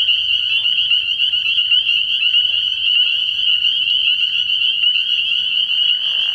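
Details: Spring peepers fill a frog pond with sound on an early-year night. The chorus of shrill, repeated peeps is so dense that it runs as one unbroken high-pitched ringing from start to end.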